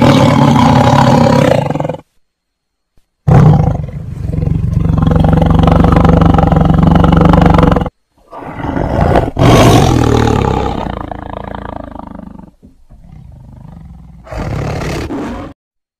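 A tiger gives deep, rumbling roars in long, powerful bursts separated by brief pauses.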